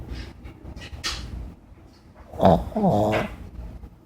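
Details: Chihuahua asleep on a lazy Sunday afternoon, giving soft nasal snores and a louder rattling, throaty snore near the end, with a clothes dryer running in the background.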